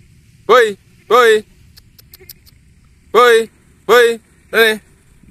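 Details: Bligon goat buck calf exercising on an open field, brought out of its pen to build strength as a future breeding sire; five strong, nasal, harmonic bleats, each under half a second, two close together, then a pause, then three more.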